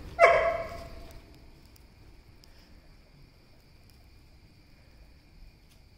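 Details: Labrador at a midnight Bhogi celebration gives one short, sharp bark with a quick harmonic ring, followed by several seconds of near silence over a faint steady hum.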